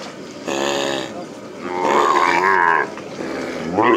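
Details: Calves on the Hato Las Carmelitas plains ranch being released after branding, giving loud harmonic bawls: a short drawn-out call early on, then a longer wavering, higher cry, with another rising call at the end amid ranch background noise.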